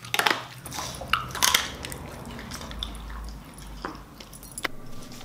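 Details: A Siberian Husky eats raw beef cheek and chicken with bones, making sharp, irregular crunches and clicks, while a person gives commands nearby.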